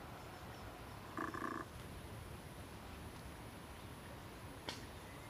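A male barking deer gives a single short, harsh bark against a steady hiss of background noise.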